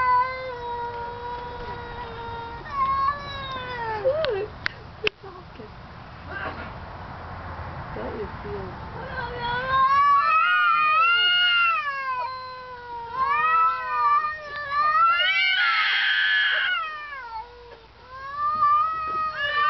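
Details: Two domestic cats trading calls, one a neighbour's cat; the other keeps getting louder and screams when it dislikes what it hears. Long wavering, rising-and-falling yowls overlap and intensify in the second half, with a man speaking early on.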